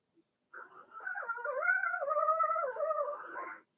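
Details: One long, steady whine from a Blenheim Cavalier King Charles Spaniel puppy in an indoor pen, a harmonic cry holding level with small wavers and dips for about three seconds.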